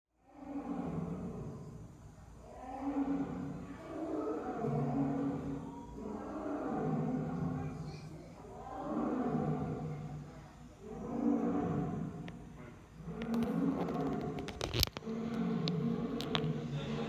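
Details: Lion calling in a long series of deep, harmonic grunting roars, each swelling and fading about every two seconds, with a sharp clatter and faint voices near the end.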